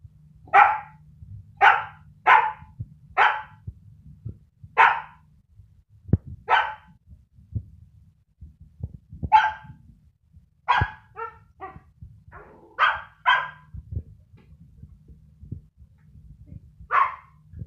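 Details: Pet Siberian Husky puppy Sky lets out a long run of sharp, clipped barks, fast clusters at first, then spaced with pauses, some doubled, over a low background hum.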